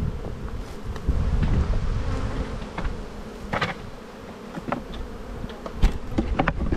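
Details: Honey bees humming steadily during a spring buildup hive inspection in the bee yard, a low, continuous droning buzz broken by scattered sharp clicks and knocks from handling the hive frames.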